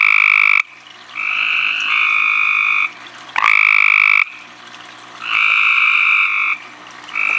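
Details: At night, a tree frog calls at very close range: a run of about five loud, nasal, buzzy trills in seven seconds, each near a second long, separated by short gaps of background hiss, one beginning with an upward swoop.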